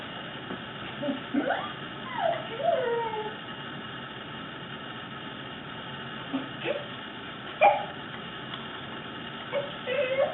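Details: Fluffy Corgi Fuji producing odd vocal noises at home: a few sliding whimpers and descending whines, then sparse short squeaks and a sharp yip, against constant background hiss while an owner talks to him.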